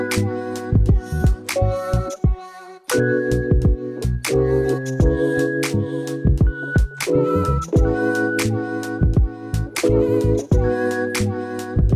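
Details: Rhythm-and-blues style music with sung notes and heavy bass beats fills the recording, briefly dropping out, with no animal sound.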